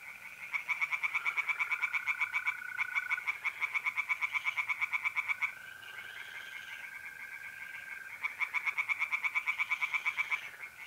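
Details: April night in north-east Italy: tree frogs in a pond give rapid rattling croak series in several bouts, separated by short lulls where a smooth steady mole cricket trill carries on.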